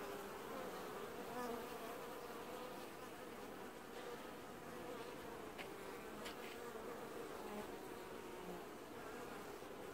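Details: Honey bee colony performing wash-boarding at the hive in an apiary during early July, producing a steady, full buzzing hum with overlapping droning tones and quick whizzing passes of single bees.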